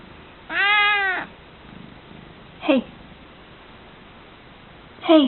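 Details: Groggy meows from Chai, a female house cat, heard in the evenings and sometimes mornings: one drawn-out, bending meow, a brief falling grunt-like call, then another short meow near the end in a quiet room.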